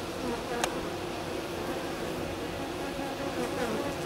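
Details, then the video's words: Honey bees on a hive's landing board, from a colony in swarming fever, one bee dancing in half circles and waggling its abdomen; a steady, dense droning hum with a brief sharp click near the start. "Abeilles. Langage des abeilles"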